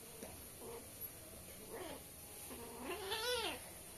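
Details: Kittens, a newly adopted pair at play indoors in India, give a series of thin, high mews that build to a louder, longer meow with rising then falling pitch near the end.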